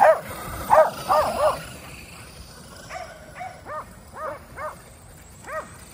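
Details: Kerry Blue Terriers, five dogs exercising by chasing a remote-control car at home; sharp high-pitched barks and yips in quick bursts, a fast cluster early then spaced barks roughly every half second, with a faint motor hum behind.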